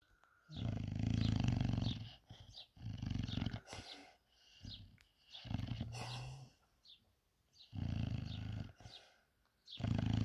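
An English Bulldog snores in deep, rumbling breaths that come in bursts with short quiet pauses.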